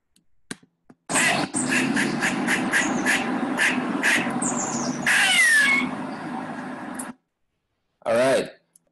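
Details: Eastern gray squirrel in Central Park, New York City, giving a common squawking call: harsh, raspy squawks repeated quickly for about six seconds, then one more rough burst after a short pause.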